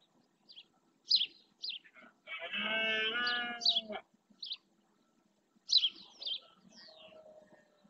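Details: Red deer stag roaring during the rut (berrea) to claim territory in the marshland of Doñana National Park, Spain: one hoarse, harmonic bellow lasting nearly two seconds, with sharp, high bird chirps before and after.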